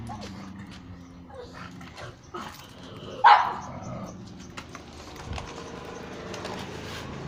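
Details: A pug barks at street dogs: one sharp, loud bark stands out midway over a steady low background hum, with faint distant noises before and after.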